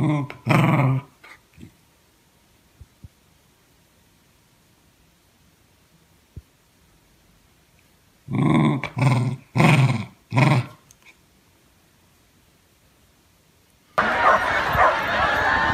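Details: Corgi named Bandit, a pet indoors, growling in short rough bursts: one near the start, then four quick low growls close together, ending in loud broadband rustling noise.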